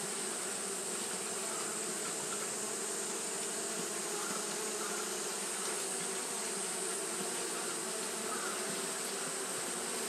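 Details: Japanese honey bees keep fanning on a hot day, producing a continuous low, layered hum that stays level for the whole stretch, with a steady high hiss and occasional faint overtones.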